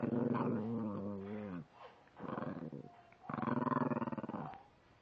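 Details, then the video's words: An angry female puppy gives a sustained, low, rumbling growl that breaks off, then returns as a rapidly pulsing, vibrating snarl that fades at the end. "angry puppy"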